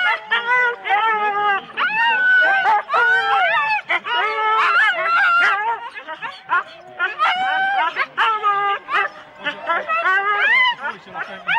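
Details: Four-dog Husky teams waiting at the start at Rendlesham in January 2016, a dense chorus of shrill, wavering yelps and barks from many dogs, almost continuous with short pauses, voices faintly beneath.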